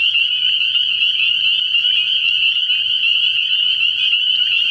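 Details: A dense night chorus of spring peepers (Pseudacris crucifer) at a frog pond early in the year, high shrill peeps blending into a continuous ringing trill, with a bullfrog heard among them.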